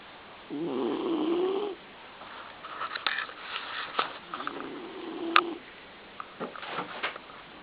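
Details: A 17-year-old male smooth-haired black-and-tan Dachshund, 12–13 pounds, sleeps in his bed and snores in two long, rattling, buzzy breaths with soft rustles between them.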